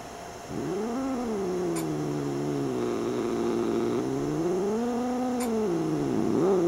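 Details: Domestic cat, a male, angry at having his tail messed with while trying to sleep, makes a long continuous low moaning growl that swells and dips in pitch over several seconds, with faint hum and occasional clicks in the background.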